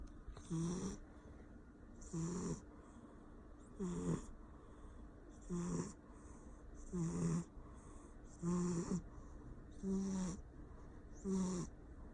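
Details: Persian cat snoring loudly while asleep: rasping, regular breaths about every one and a half seconds, each with a low buzzy inhale band and a hissing breathy top, steady throughout.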